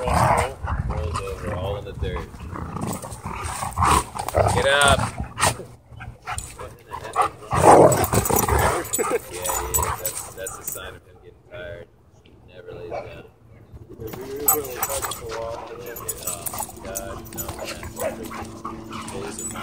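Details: Dogs showing an aggressive side at a dog park, with barks and growly vocal bursts scattered irregularly through the clip, mixed with people talking and outdoor background noise.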